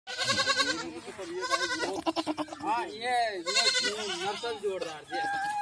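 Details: Goats at a goat farm in Rajasthan (Ajmer/Kota area) bleat in wavering, nasal cries with a strong buzzy edge, overlapping one another.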